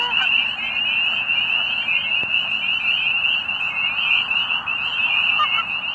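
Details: Near sunset in late winter at Middle Creek Wildlife Management Area, Pennsylvania, spring peepers give mating calls in a full chorus of high, piercing, overlapping peeps, with a few faint lower honks from geese on a pond behind them.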